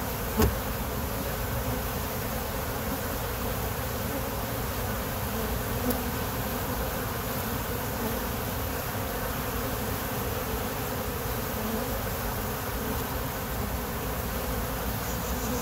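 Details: Hive of honey bees giving a continuous low buzzing drone, even and unbroken throughout, with a short tap near the start and faint high hiss; a passing plane is mentioned during recording.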